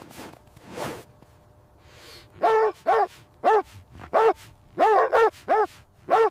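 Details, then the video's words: Puppies playing with their mother dog on fresh winter snow; after a faint breathy start, a run of eight sharp, tonal barks comes in short bursts, some paired closely, spread over about four seconds. "Dog barking sounds"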